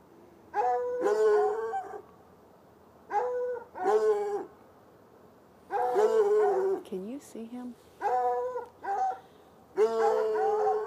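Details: Saturday night barking from two hounds, one white and one dark, chained outdoors near a red outbuilding beside an irrigation ditch, heard from about 10 yards across the ditch; ringing, drawn-out barks arrive in paired bursts, separated by brief quiet gaps.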